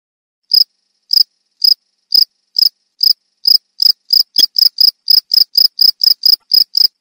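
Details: Cricket chirping, high, pure pulses that start about half a second apart, then quicken after three seconds into a fast run of roughly four chirps per second; no other sounds.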